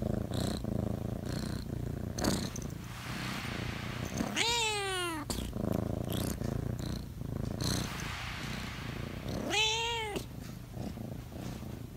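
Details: Chatty pet cat purring continuously in a low pulsing rumble. Two long wavering meows break through, one near the middle and one near the end, each bending upward then down.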